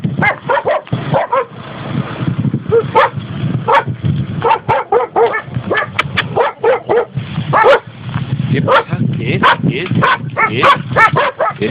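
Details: Rapid, overlapping yips and barks from several dogs among six labrador-cross and schnauzer-cross dogs seeking foster or adoption in rural Valencia province, Spain, with people talking throughout.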